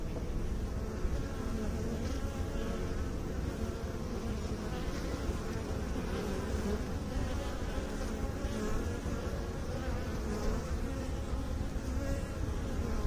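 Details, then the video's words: Bees from beekeeping make a steady hum: a broad, low buzzing drone with faint rising and falling whine streaks above it. "Bee song"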